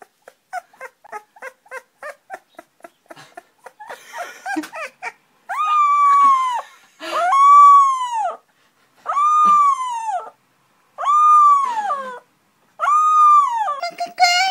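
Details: A puppy starts with a quick run of short, soft yips, then breaks into five long arched howls. Each one rises, holds and falls, about every two seconds, with brief silences between them in a quiet indoor space.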